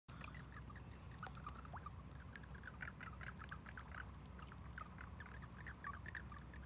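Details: A chorus of mating toads in a wildlife pond at night in April 2019 gives brief, chirping, overlapping croaks without pause, over a constant low rumble, likely water or a pump.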